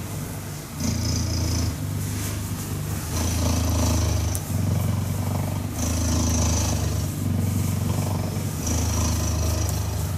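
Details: A cuddled cheetah purrs in a continuous, low buzzing rumble, rising and falling with each breath at intervals of about one and a half seconds, with faint soft rustling.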